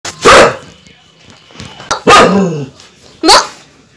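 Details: An angry female German Shepherd gives three loud, harsh barks spaced irregularly over a few seconds.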